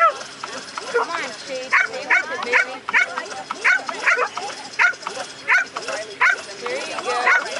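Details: Excited yapping barks from Shade, a female American Staffordshire Terrier, while she chases the lure during an AKC Coursing Ability Test, Ocala, Florida, April 2012. Short bursts come roughly every half second over background talk.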